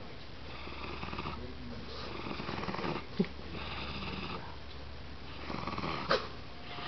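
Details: A male dachshund gives a low, continuous rumbling growl, a warning to keep others away from his treats. A person talks calmly to the dog over the growling, and a couple of sharp knocks are heard.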